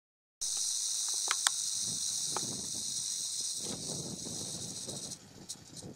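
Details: Red diamond rattlesnake, Crotalus ruber ruber, giving a steady, dry, high hissing buzz that runs unbroken for about five seconds, then stops abruptly. A few faint clicks and low rustles sit underneath.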